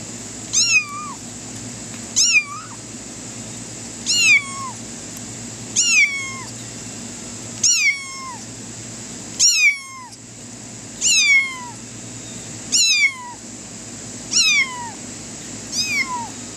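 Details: A kitten running on grass meows non-stop, high thin cries repeating about every two seconds.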